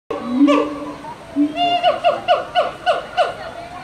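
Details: A male siamang at Henry Doorly Zoo gives two drawn-out opening hoots, then a fast series of loud, ringing, downward-sliding notes.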